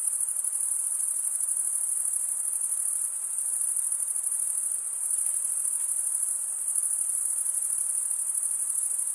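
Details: Male crickets stridulating, rubbing one wing's toothed vein against the other, make a steady, shrill high-pitched trill that holds without a break, a dense chorus with faint soft hiss underneath.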